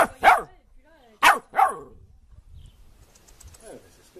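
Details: Happy dog barking out loud for fun: three sharp, loud barks, one alone and then two close together after a pause, with faint murmuring voices between them.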